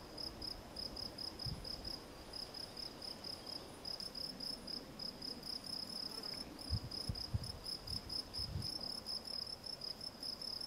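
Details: Gryllus campestris, the field cricket, giving a rapid train of high, shrill chirps at an even rhythm of several per second, with a few low knocks in the background.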